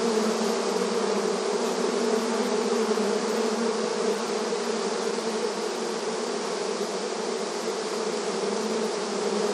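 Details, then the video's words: Many honey bees buzzing at a beehive entrance in front of their hive, a busy rural scene; a dense, steady drone with strong low hum bands and bright hiss above, unbroken throughout. "Bees Buzzing Sound Effect • Beehive Entrance Video Honey Bee Activity"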